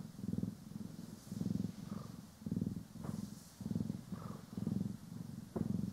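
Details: Pet cat from the duo Poki and Kiwi purring contentedly while groomed with a brush, in stereo; evenly spaced low throbbing purr cycles, roughly one per second, with occasional soft brushing sweeps and tiny clicks.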